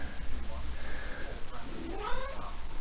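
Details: A talkative female Maine Coon cat, just come into season and having her back scratched, gives drawn-out, wavering meows that rise and fall in pitch like chattering speech.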